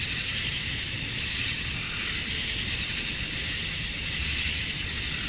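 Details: Georgia cicadas at summer dusk, males calling to attract females, form a seamless, piercing insect hiss that stays flat and even, with little change in loudness.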